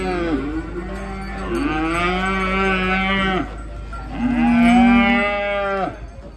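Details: Cow coming off a truck for a contest in Indonesia, mooing twice in long sustained calls, each about two seconds, with a strong low tone and dense harmonics, against constant background hum.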